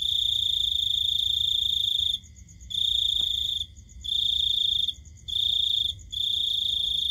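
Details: Cricket calling at night: bright, high, shrill trills held for about a second each, broken by short quiet gaps, with a steady soft low hum underneath.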